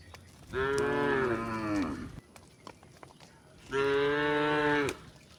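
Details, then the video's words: Dozens of tame cows walk a rocky village path past homes and shade trees toward rice fields. Two deep moos sound about three seconds apart. The first is longer and drops in pitch at its end; the second is shorter and level. "the sound of cows mooing along the way"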